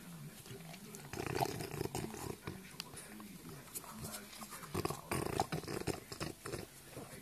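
A French bulldog makes low, throaty grunts and snuffling growls in short, uneven bursts.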